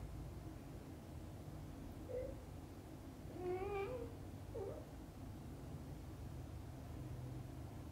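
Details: A just-woken kitten asks its mother cat to play outside. One clear, wavering meow rises and falls, framed by two softer short mews, over a constant low background hum.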